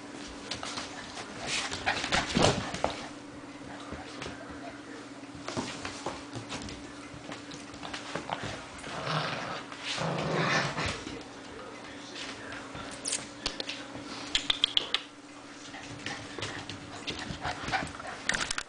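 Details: Six-week-old puppies giving short scattered yips and whimpers amid frequent clattering knocks and scuffles, with a steady low hum running underneath throughout.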